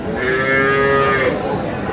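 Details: Cow at the Aftabganj cattle market, Dinajpur, Bangladesh, on a Tuesday market day; a single steady, sustained moo of about one second, rich in harmonics, over a busy market background.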